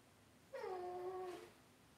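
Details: Cavalier King Charles Spaniel puppies raised indoors in a home puppy pen; a single high, harmonic whine lasting about one second, holding steady then sliding slightly down before fading, in a quiet room.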